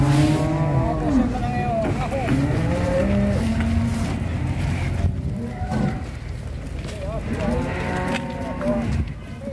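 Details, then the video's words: A female cow on a rampage moos in drawn-out, harmonic-rich bellows at the start and again near the end. The moos sit under constant rumbling background noise and voices. "SAPI BETINA NGAMUK SEPERTI BANTENG MATADOR"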